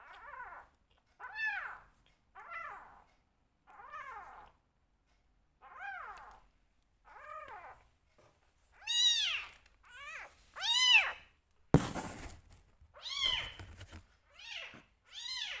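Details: Two rescue kittens give high, arched begging mews during bottle feeding, short and repeated about every second, growing louder and more insistent.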